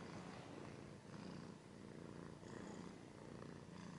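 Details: Close-up purring of a domestic cat, a deep, buzzy rumble that swells and fades gently with its breathing, steady throughout.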